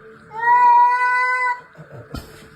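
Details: Domestic cat giving a single drawn-out meow, steady and tonal for about a second, trailing off, followed by a brief knock and faint background noise.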